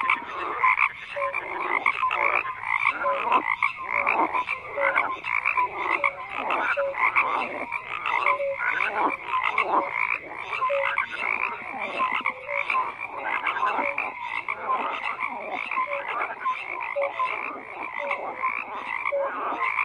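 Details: Frogs croaking in a large chorus: rapid, rhythmic raspy pulses overlap without pause, dotted with short tonal notes, forming a steady, dense wall of calls.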